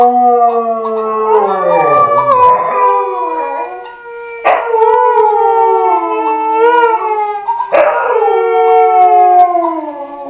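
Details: Siberian Husky vocalising in a series of drawn-out, sliding howls and whine-like wails, each rising and falling in pitch, broken by a few sharp yelping onsets.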